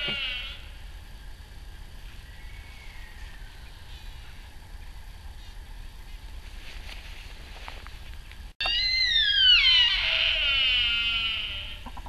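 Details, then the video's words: Sika deer stag calling at RSPB Arne, 20 October 2012: a short high squeal at the start, then after a pause a loud, shrill, harmonic-rich scream sweeping down in pitch and fading, with wind rumbling underneath. "Sika Deer (including cry of Stags!)"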